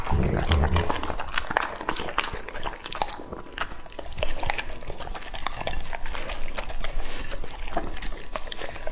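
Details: Lucky, a two-and-a-half-year-old male English-type Labrador Retriever, eating raw meat indoors; wet, sticky chewing and crunching in rapid, irregular bursts of sharp clicks throughout, with a brief low murmur at the start.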